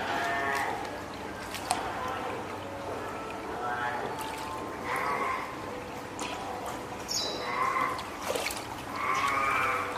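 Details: Hand-reared female spotted seal pup born 19 April, at Oga Aquarium, Japan, 9 May 2017, loudly calling its keeper, hungry or wanting onto land; repeated harmonic bleating moans near one to two thousand cycles, with splashes and a larger pup nearby.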